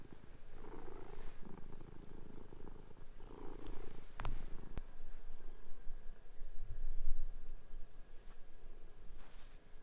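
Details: Indoor house cats chase and play-fight on a bed as fresh sheets go on; a low purring rumble swells and fades, broken by a couple of sharp taps and sheet rustling.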